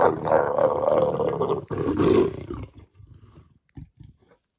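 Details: Wild leopards mating in the bush, a male and female pair; a long, harsh snarling roar lasts about two and a half seconds, then breaks off into quiet with a few soft thumps.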